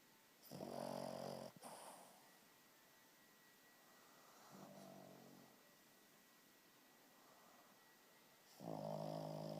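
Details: A sleeping dog snoring loudly indoors: long rasping, throaty snores repeated at intervals of several seconds, each a broad rough rumble, with quiet breathing in between and a faint steady electrical hum.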